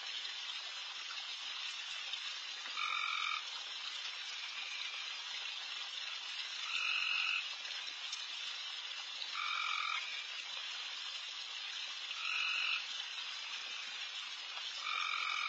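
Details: Backyard at night, deer feeding amid insanely loud frogs everywhere; a continuous high chorus carries five or six louder buzzy calls, each about half a second long, spaced roughly every two to three seconds.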